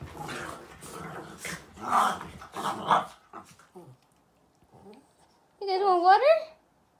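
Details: A Boston Terrier and a French Bulldog at play: rough, rumbling growls in close bursts for about three seconds, a pause, then a short rising-and-falling tonal whine.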